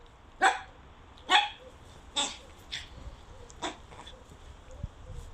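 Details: German Pinscher giving a series of short, sharp barks, about one per second, gradually softening, over a low background hum.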